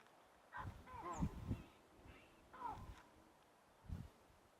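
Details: A troop of close to 100 baboons at Rietspruit Game Reserve, South African Lowveld, gives harsh, honking alarm barks in irregular bursts at sunset on 9 June 2024, having spotted a cheetah heading toward them.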